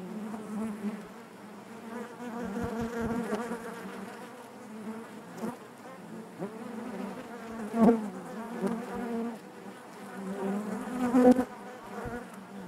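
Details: Steady drone of honey bees in their hive, low and even, with wavering overtones and a few louder close buzzes near the end.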